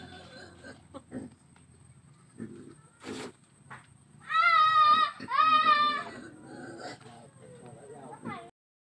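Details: Bullfrogs kept in a basin give two loud, drawn-out screams, each lasting under a second. The cries are wavering and harmonic with a slight rise and fall in pitch. People talk before and after them, and there are scattered handling knocks.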